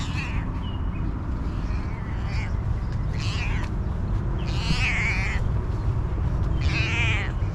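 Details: Hungry female cat, happy for attention and food, giving drawn-out wavering meows, two long calls in the latter half, over a steady low rumble of background noise with faint voices.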